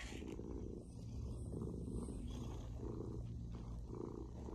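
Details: A happy female Maine Coon cat purrs steadily, a low continuous rumble pulsing in slow waves; finding: Maine Coon cat.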